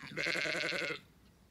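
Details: Border Leicester sheep named Roxy giving one short, bright, wavering bleat of under a second, evenly pulsed with a tremolo, ending abruptly into quiet.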